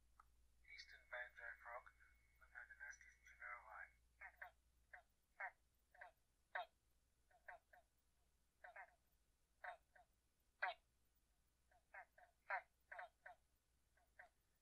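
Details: Eastern banjo frogs (pobblebonks) in the Murray Valley, South Australia, give short, plucked 'bonk' mating-call notes, each male making a single note, at uneven intervals after brief speech.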